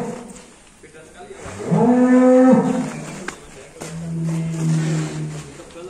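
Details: Black Angus bull in a pen in Indonesia gives a long, steady, low moo that lasts about a second, followed by a second, deeper and fainter moo, with men talking nearby and faint background music.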